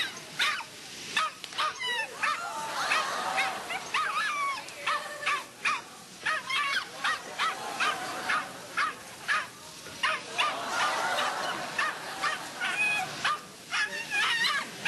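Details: Small dog producing rapid, repeated short barks and whining yelps almost continuously, with several rising and falling squeals among the barks.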